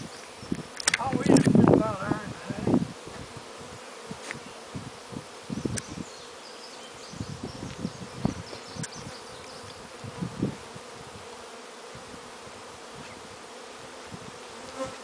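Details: Honey bees, newly installed in their new hives, buzz in low, droning passes that swell and fade as individual bees fly close while checking out the areas around their new homes.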